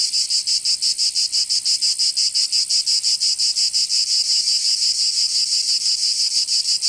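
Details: Cicadas in Provence, southern France, during summer, producing an intense high buzz that pulses rhythmically about three times each second, continuous and clean of other noise.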